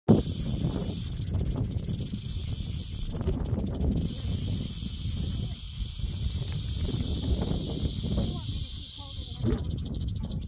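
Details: Prairie rattlesnake rattling, a steady dry high hiss-like buzz running unbroken through the whole recording, over heavy low rumbling background noise with a few brief sharp clicks.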